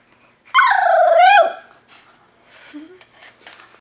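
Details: A newly adopted half Chihuahua, half Pekingese puppy lets out one drawn-out high whining cry lasting about a second, wavering then dropping at the end, followed by soft rustling and faint quiet noises.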